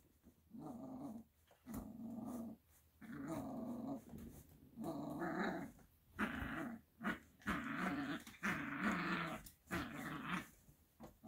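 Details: An 8-week-old female Italian Greyhound puppy growls in repeated, throaty bursts, each about a second long, while biting a bed.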